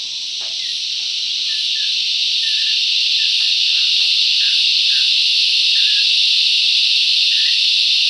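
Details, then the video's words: Bush cicadas singing loudly together: an unbroken high, hissing buzz rising in volume at the start then holding steady, with scattered quiet bird chirps and clicks in the background. "Listen to the cicadas crescendo's and diminuendo's"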